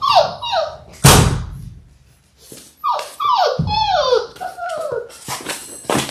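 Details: Litter of six Labrador Retriever puppies, six weeks old, on a puppy cam: repeated downward-sliding whines and yips broken by loud thumps and knocks, a short gap, then more whimpering.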